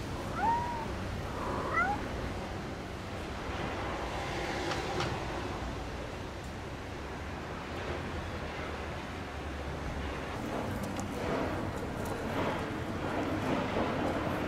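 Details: Cats on an Istanbul street, a mother nursing and watching her playing kittens: two or three brief, thin meows in the first two seconds, then only constant construction-work rumble and city noise.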